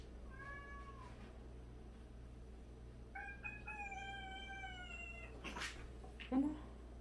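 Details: Domestic cat from a household of 76 cats, including one that washes the others' faces daily; a short falling meow, then after a pause a longer, steady, drawn-out meow ending in a rustle and a soft knock.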